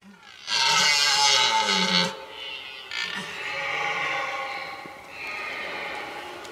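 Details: A wild red deer stag roars during the autumn rut in remote, unfenced countryside in Sologne, France, with a harsh, drawn-out bellow followed by weaker groaning calls.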